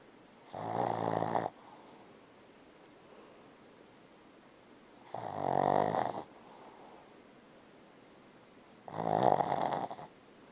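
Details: Sleeping and dreaming, Bella the Boston Terrier snores to beat the band, as usual: three harsh, buzzy snores, each about a second long, spaced three to four seconds apart in a quiet room.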